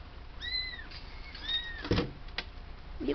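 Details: A kitten, a new arrival at a house full of cats, said to be searching for its home, gives two high, thin, arching mews in quick succession, followed by knocking and clattering handling noises.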